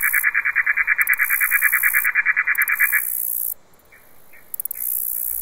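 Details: A katydid (bush cricket, Tettigoniidae) stridulates in the daytime on 9 September, late summer, in the countryside: a fast, even series of buzzy pulses stopping abruptly after about three seconds, over a continuous shrill insect hiss broken by short ticking bursts.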